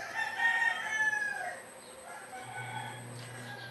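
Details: Goat kid receiving a B-complex vitamin shot gives a quavering, tremulous bleat over the first second and a half. A low steady hum and faint voices follow.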